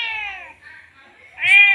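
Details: Male cat in heat, just after mating, calling to a female with two meows, the first falling away and the second rising sharply and loud, with faint voices beneath.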